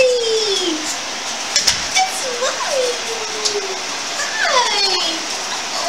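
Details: Dog greeting its owner as she returns after a week away, upset at having been left behind; a run of drawn-out, falling whines and yelps, some sliding down sharply, over steady hissing room noise in an indoor space.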